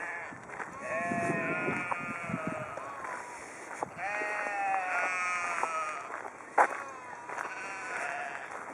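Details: Sheep in Haugesund, Norway, calling with wavering, quavering bleats in several overlapping voices, each drawn out about a second, with a sharp knock near the end.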